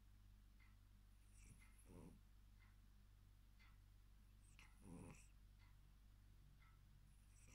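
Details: A tired male Maine Coon cat snores softly, with a low rumbling breath repeating about every three seconds.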